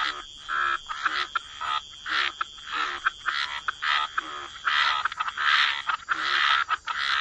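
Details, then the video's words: Chorus of frogs by wetland water, with rasping croaks in short bursts roughly every half second, some overlapping, broken by brief quiet gaps; a higher steady tone runs underneath throughout. "Frog Lullaby: Relax to the Sound of Croaking Frogs"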